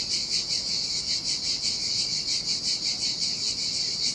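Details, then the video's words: Shrill, unbroken cicada chorus in summer heat on a lonely Sardinian beach, the high buzzing rising and falling in quick rhythmic beats, with a quiet wash of ocean surf beneath. "Ocean Waves & Cicada Sounds"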